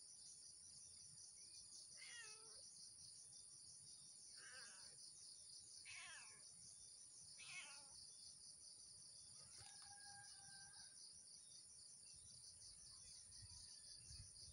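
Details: Blink the cat, stalking squirrels on cashew trees at early morn, makes four short downward-curving meows about every two seconds. A level two-note whistle comes after them, all under a continuous high-pitched insect hum.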